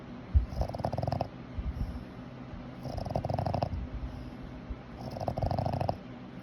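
A Boston Terrier snores in deep, rattling rumbles that repeat roughly every two seconds.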